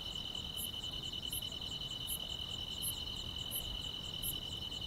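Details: A summer-night chorus of grass insects in the countryside: one continuous high-pitched ringing trill, topped by brief bright chirps repeating roughly every three-quarters of a second, over faint low background hiss.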